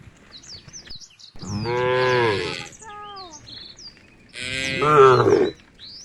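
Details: Tame cows in a herd walking toward a field at the forest edge; two loud, drawn-out, deep moos, the second rising and swelling, while small birds chirp and twitter steadily in the background.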